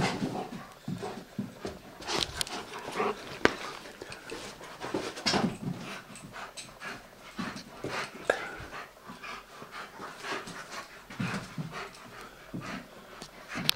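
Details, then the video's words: Pickwick the Old English Sheepdog pants steadily and rapidly while playing with his toy Quackers, breaths coming in dense rhythmic bursts broken by occasional sharp clicks and rustling. "'PICKWICK' - OLD ENGLISH SHEEPDOG PLAYING WITH HIS TOY 'QUACKERS'"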